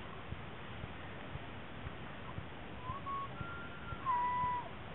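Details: Rutting bull elk at Rocky Mountain National Park, collecting cows as part of the yearly mating ritual: brief, pure whistled notes, the last one a clear, level tone held about half a second, over soft ticking and distant hiss.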